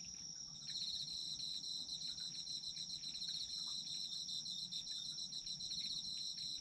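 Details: Autumn insects in a chorus recorded for sleep listening: a steady, very high continuous trill. A pulsing, rapid chirping trill joins it after the first second and carries on unbroken to the end. There is a faint low background hum.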